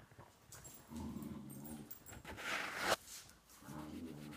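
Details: Play between a six-month-old Dachshund and a four-year-old German Shorthaired Pointer: two bouts of low, throaty growling, one early and one at the end, separated by a loud scuffling rush of noise.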